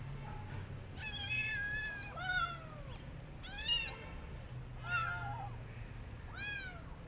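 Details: Rescued street kitten that wants to go back outside and refuses food, meowing repeatedly: five high, arched, wavering meows spaced about a second apart, over a low steady background hum.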